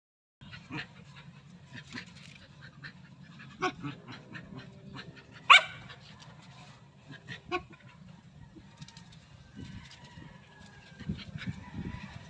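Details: Two female dogs play fighting as best friends, gentle and careful not to hurt each other; scattered short growls and yips with brief barks, one sharp louder yelp near the middle, quiet background.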